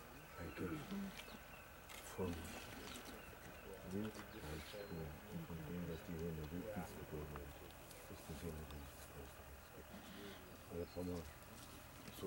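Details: Spotted hyenas at a kill at Vumbura, Okavango Delta, Botswana, mixing deep rumbling growls with bursts of pulsed, cackling giggles that recur throughout, plus rustling from the feeding group.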